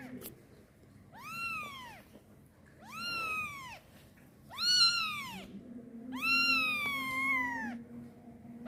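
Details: Kitten crying loudly for its mother while pooping: four drawn-out meows, each rising then falling in a rich harmonic arch, about one per two seconds, the last longer and wavering, over a low steady hum.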